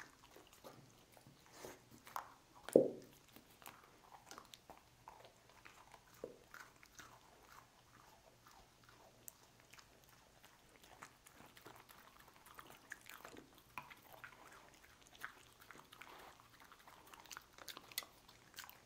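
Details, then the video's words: Dog named Lucy munching cookies: one hard crunching bite early on, followed by many light, rapid chewing clicks spread evenly through the rest. "Dog Eating Cookies"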